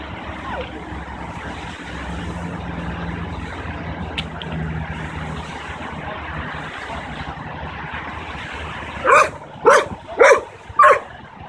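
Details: Hercules, a 9-month-old Belgian Malinois, barks on command during a dog training session. Steady traffic rumble fills most of the recording, then four sharp, loud barks come close together, about one every half second, near the end.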